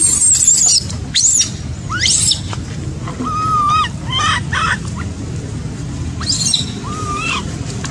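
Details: Abandoned baby macaque left by its mother gives a few drawn-out, arched whining cries, flat-topped and level, broken by sharp high squeaks and chirps, with a low background rumble throughout.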